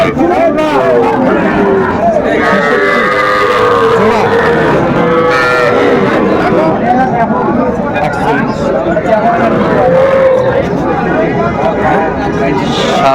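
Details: Young Sahiwal bull calves for sale at a Bangladeshi cattle market near Dhaka, 11 November 2024: a few drawn-out, wavering moos rise and fall amid loud overlapping voices and market chatter.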